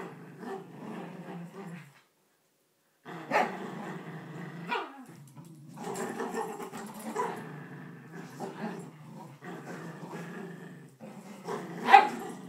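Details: Two poodles, Bailey and Chloe, squabble over a blanket indoors, giving continuous low rumbling growls broken by short sharp snarls and yips, with a brief pause near two seconds before the growling resumes.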